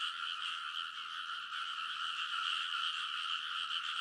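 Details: Rice paddy frogs calling together in a great chorus at night in early summer, Kōnosu, Saitama, Japan, TASCAM Portacapture X8 recording; rapid, rough croaks blend into a constant shimmering chorus, slightly swelling toward the end.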